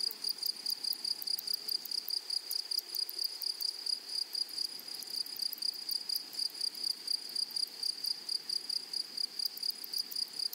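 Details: Grasshoppers in a meadow prairie produce a persistent shrill ringing band with crisp repeated pulses about twice each second, dense and even throughout.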